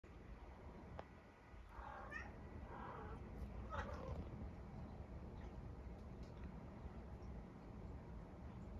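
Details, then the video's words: Domestic cat at a window making a few short soft trilled mrrp chirps around two to four seconds in, rising briefly then falling, over a steady low hum of background noise; the cat rarely meows. "Cat mrrps to window"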